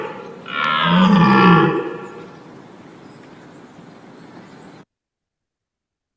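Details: European red deer roar played back for comparison with elk: one deep, rough, harmonic-rich bellow of about a second and a half that rises then falls, trailing into a quiet hiss before cutting to silence.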